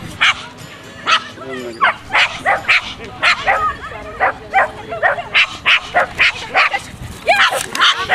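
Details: Omega, a female corgi, at an agility competition that she won. She gives sharp, high yapping barks in a quick run of about sixteen, roughly two per second, while a woman speaks Polish in the background.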